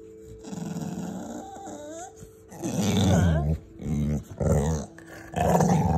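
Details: Female pet dog sitting up like a meerkat, crying to demand more scratches: low, throaty, groaning whines in several drawn-out bursts, rising and falling, between a woman's soft talking to her.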